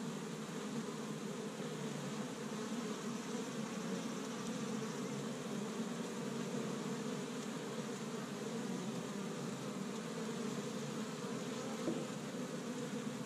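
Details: Honey bees busy at an established hive on the first warm spring day in Michigan, gathering pollen from tree buds; a steady, dense droning hum of many bees continues throughout without pause.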